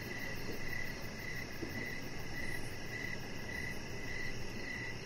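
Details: Evening chorus of crickets near a deck, short high chirps evenly spaced about every half second, with a faint higher pulsing trill and a low continuous hum.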